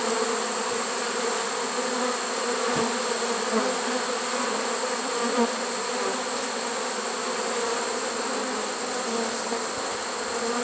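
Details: Many honey bees of a swarm caught in a trap, September 2019, late in the season, producing an even, rich hum that stays constant, with a brief tap heard early on.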